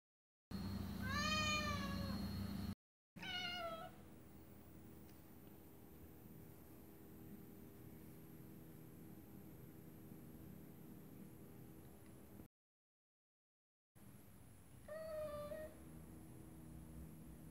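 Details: Female Scottish Fold cat indoors, sitting and watching birds through a window, gives three drawn-out, clear meows: a long rising-then-falling one, a shorter one soon after, and a final meow near the end. A steady low room hum runs beneath.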